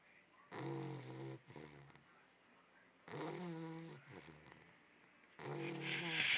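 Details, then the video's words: Labrador Retriever puppy snoring while asleep, recorded on a small action camera: three drawn-out raspy breaths, each with a low droning buzz and a shorter rattling follow-up, repeating roughly every two and a half seconds. "snoring puppy"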